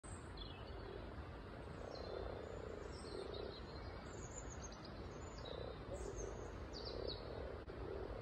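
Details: Frogs at a local pond full of frog spawn, teeming with frogs; soft low purring croaks come in repeated short patches every second or two, with thin high bird chirps above and a steady background hiss.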